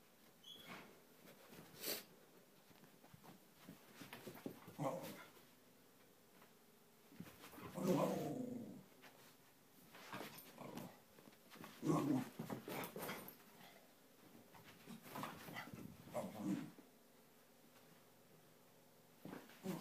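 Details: Cairn terrier dog playing around indoors, giving short low growling bursts spaced a few seconds apart, with quiet gaps and soft background noise between them.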